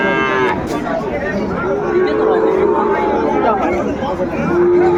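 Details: Sahiwal bull calves at a cattle market near Dhaka, Bangladesh, 3 February 2025: a long, level moo runs through the middle, with a second moo starting near the end, over steady crowd chatter and bargaining voices.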